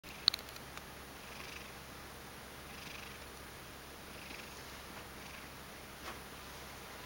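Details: Ragdoll cat named Mojio, half asleep indoors, making odd kneading-like paw movements; soft, steady purring hum with breathy swells about every one and a half seconds, a few small clicks near the start.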